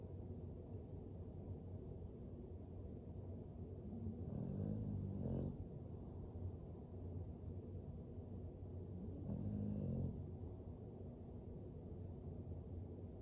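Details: English Bulldog sleeping by a fire, snoring: two soft, rasping low snores about five seconds apart over a steady quiet background hiss.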